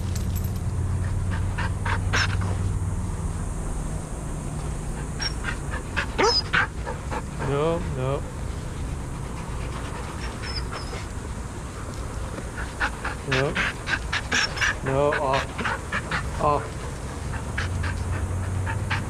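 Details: Adoptable shelter dogs playing and running together at a daycare, giving sharp broadband barks in scattered bursts, thickest near the middle and toward the end, with some whining yelps, over a steady low rumble and faint human voices.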